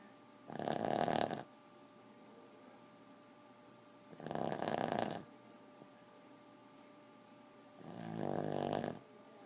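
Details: Boston terrier snores three times, each a grating, nasal rasp lasting about a second, repeating roughly every three and a half seconds in a quiet indoor space.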